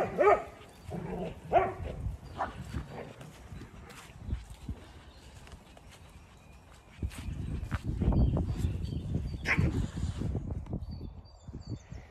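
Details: On an Irish farm in County Kilkenny, dogs at play yelp and bark a few times early on, followed by scuffling, thudding movement noise and a loud rustle later.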